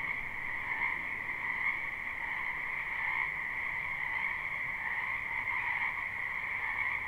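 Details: Many frogs croaking in a spring wetland behind a house, recorded live without looping: a dense, steady chorus with two bright trilling bands, one lower and one higher, and a faint hiss beneath.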